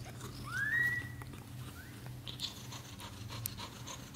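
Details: British shorthair kitten in its first 30 days, indoors: one thin, clear, rising squeak of a mew lasting under a second, then a fainter short second squeak, over soft rustling and low room hum.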